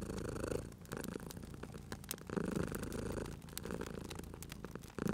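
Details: Cute cat sleeping by a fireplace, giving a throaty, rolling purr in rhythmic surges that pause briefly between breaths; crisp crackles from the fire punctuate the rumble.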